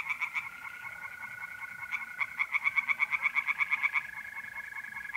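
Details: Tree frogs in an Italian pond on an April night, North-East Italy: rhythmic rapid croaks, one nearby frog swelling louder in the middle, over a continuous mole cricket trill.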